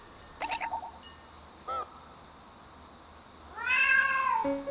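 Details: A former stray pet cat in Korea cries at night near its food bowl while its pregnant owner tries to sleep, calling for its guardian after scratching around the bowl instead of eating. Short broken chirps lead into a long, drawn-out, wavering meow. Faint music plays underneath.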